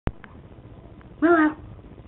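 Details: Two-month-old teacup poodle puppy at play indoors: after a sharp click, one brief whine that falls in pitch and lasts about a quarter second, heard over quiet room noise.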